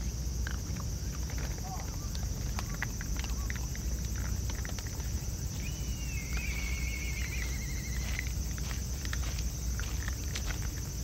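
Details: A family of raccoon dogs crunching food together, a scatter of sharp dry clicks and cracks over a low rumble.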